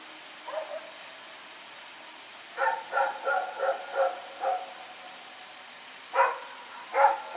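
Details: Rex, a dog running around at night, recorded on 21 September 2018, gives a brief bark, then a run of six quick barks, then two more separated barks, over a steady background hiss.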